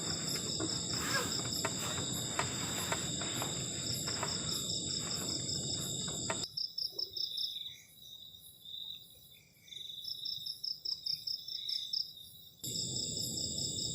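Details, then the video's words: Crickets on a cold night beside a garden shelter: piercing, rapidly pulsed trills in several high bands throughout, half masked by a loud broadband hiss at the start and end, with a quieter clear stretch in the middle. "ENJOYING THE SOUND OF CRICKETS ON A COLD NIGHT"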